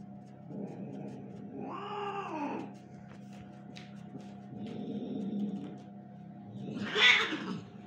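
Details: A little kitten at play with its mother; a drawn-out wavering meow, a softer murmured call, then a final meow under a sudden loud rustling burst, with a constant background hum.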